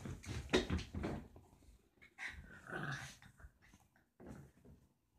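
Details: Roxie, a deer-head chihuahua, urges Reese, a Dorkie, to play indoors: short rough growling bursts broken by pauses, with a brief human voice around the middle.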